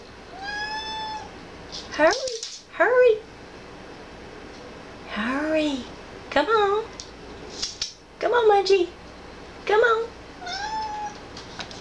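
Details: A laid-back rescue cat meows in the background at home, a run of short arched meows, some rising then falling, heard between bursts of human speech.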